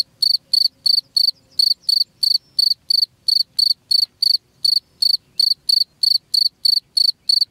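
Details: Cricket chirping, played as a sound to drive rats away from a house: loud, high, pulsed chirps repeated about three times a second in a steady run, with a faint low rumble beneath.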